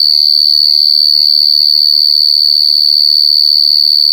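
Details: Large cricket (gangsir) recorded directly in the wild: a loud, unbroken, piercing high trill held at a steady pitch, with rapid even pulsing throughout and no other clear sounds.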